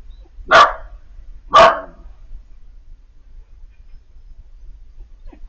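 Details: Piper, a roughly four-month-old female Siberian Husky puppy, calling out on seeing Bandit, an older male dog from across the street. Two sharp, bright yelps about a second apart, then quiet.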